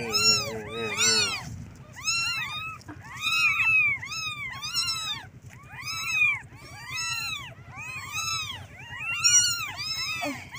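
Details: Several kittens calling their mother for milk, a chorus of loud, arched, high-pitched mews repeated in rapid bursts, each cry rising and dropping, with brief pauses between clusters.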